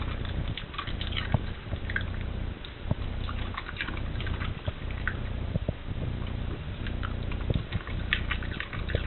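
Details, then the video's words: A dog that loves cabbage cores crunches through them one after another: crisp, irregular crackling bites and wet munching roughly every two seconds over a steady low hum. "This dog makes a sound and eats a core of the cabbage."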